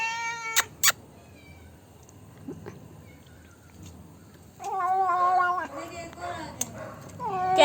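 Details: A pet black cat making funny noises after eating dairy milk chocolate: a drawn-out harmonic meow at the start, a quiet stretch, then a long wavering, warbling yowl with a final rising meow, over faint background music.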